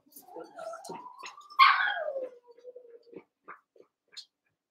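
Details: Cavalier King Charles Spaniel puppies, one month old, wrestling and playing together in an indoor pen of eight littermates; a wavering whine that slides up into a sharp yelp, then falls away into a thin steady whimper with soft ticks after.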